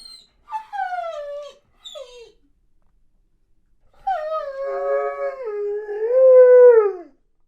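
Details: Weimaraner pining during boarding away from home, a small dog joining in: two falling whimpers, a pause, then a long wavering whine-howl that dips and rises before fading.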